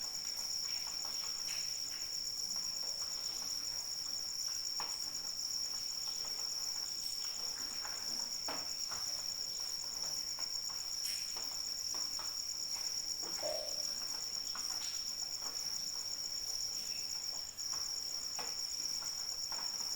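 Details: Crickets keep up a high, evenly pulsed trill for the whole stretch, accompanied by light rain falling steadily with scattered sharper drips and splashes.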